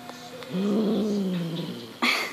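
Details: A six-month-old Highland Lynx cat, instincts triggered by a fox tail, gives one steady, low, slightly wavering moan lasting about one and a half seconds, then a brief rising start of another call.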